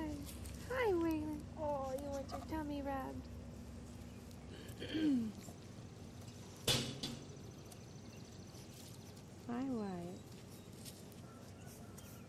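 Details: English Bulldog puppies, two boys seven weeks old, at play outside on the Siess Ranch: a run of three quick falling whimpers, then single drawn-out whines spaced several seconds apart, a sharp knock and a woman's cooing voice between them.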